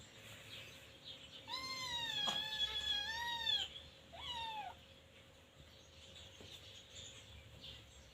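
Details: Teething Scottish Fold kitten named Luktan, at the age of itching gums and biting everything, gives a long wavering high meow lasting about two seconds, then a shorter falling meow, with light background noise.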